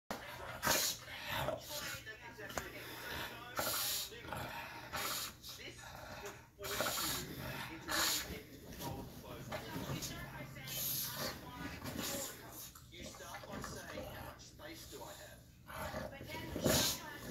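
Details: A male English Bulldog throws a fit after having his face wrinkles cleaned and treated with cream, giving harsh snorts, huffs and grumbling bursts while a person talks.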